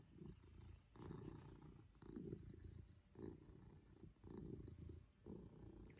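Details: Purring Maine Coon Pippin, content and affectionate while cuddled by his family; a loud, deep rumble rising and falling in clear breath cycles roughly every second, ending with a short sharp noise.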